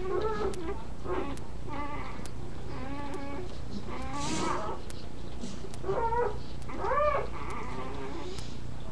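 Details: Puppies beside their mother at nursing time, giving a jumble of short, wavering, harmonic whimpers and squeals, some rising then falling, over a steady low indoor hum.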